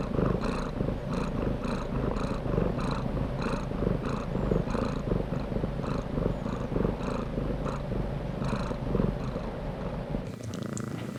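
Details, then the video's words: Cat purrs in a continuous low rumble, pulsing rhythmically with each breath about twice a second, then a brief shift in tone near the end. "Cat Purrs"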